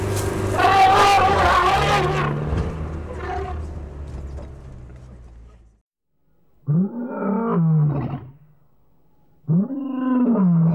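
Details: Young elephant in the Okavango Delta charging a filming vehicle. Loud mixed noise and voices come first, then silence, then two deep, arched roaring calls that rise and fall in pitch, each about a second long.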